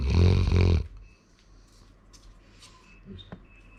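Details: Male Labrador Retriever named Sora snoring at home: a short, low, two-pulsed rumbling snore at the start, then near silence with faint small clicks.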